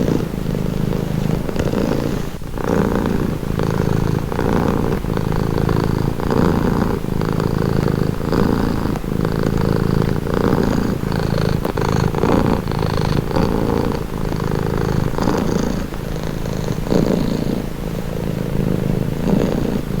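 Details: Continuous low purr from a domestic cat, a rich vibrating rumble rising and falling in breath-paced waves every couple of seconds, with faint brief clicks and no background voices.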